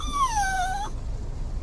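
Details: A pet dog cries when its owner leaves the house, giving one drawn-out whining wail that falls then levels off and ends abruptly after under a second, followed by quiet indoor room noise.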